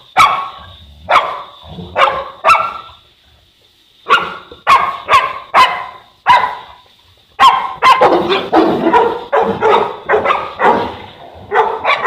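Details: Boerboel (African Mastiff) from the pair Enzo and Diva in Egypt: single spaced barks at first, then a quiet pause of about a second and a half, followed by a fast, continuous barrage of deep barks.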